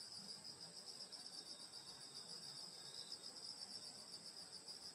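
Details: A countryside summer night filled with insect song: unbroken high shrill bands with a faint rapid pulsing, steady throughout, no other sounds standing out.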